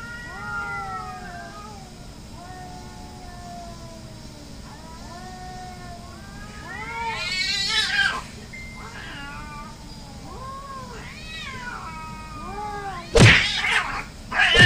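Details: Hostile cats fighting: a run of repeated arched yowls, some harsh and screeching, building to loud shrieks, with sudden sharp bursts of scuffling noise near the end.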